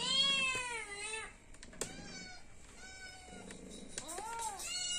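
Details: Domestic cat meowing because it is hungry and wants food: one long, bright, falling meow at the start, a quieter stretch with faint room noise and a click, then another arched meow near the end.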